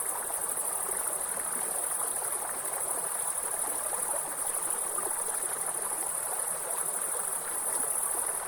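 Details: Continuous thin, shrill insect buzz from a grasshopper, constant and unvarying in pitch, layered above the steady roar of a river running nearby.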